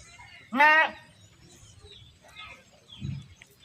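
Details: One short, wavering goat bleat from an animal being herded stands out before quiet background sounds and a soft low thud.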